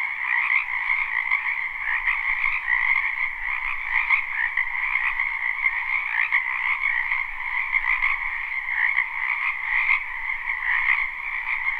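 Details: Many frogs croaking together in a wetland during spring, captured live; unbroken layered trilling holds steady throughout, with faint low rumble underneath.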